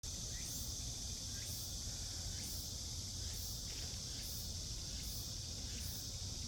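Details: Cicadas calling in a Seoul forest in midsummer, South Korea: a steady, dense high-pitched buzzing drone with faint sharp ticks about once a second on top, over a low rumble of background noise.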